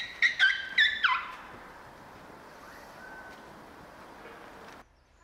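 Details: Two young elephant calves at Prague Zoo squeak while playing and wrestling with their trunks in snow. About four quick, high, harmonic squeaks fall in pitch within the first second, followed by a quiet outdoor background.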